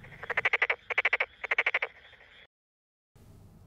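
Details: Tokyo Daruma pond frog males, inflating vocal sacs on both sides of the face, give rapid pulsed croaking bursts to court females at rice paddies during the April–July breeding season.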